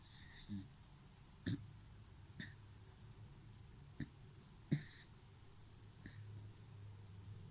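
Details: Dachshund snoring indoors: low, rough snorting breaths repeating roughly every one and a half seconds, each a short throaty burst with a faint nasal hiss, over a quiet room hum.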